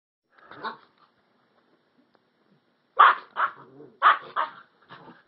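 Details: Alaskan Husky puppy Cinnamon and year-old Rottweiler/Puggle Flash playing together: a faint bark, a pause, then a burst of sharp, quick barks and yips spaced roughly a second apart, trailing into softer grumbles.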